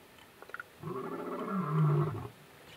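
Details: A lion at Piper Pan in the Kalahari, recorded from a camper: one deep, rumbling roar that swells louder before breaking off.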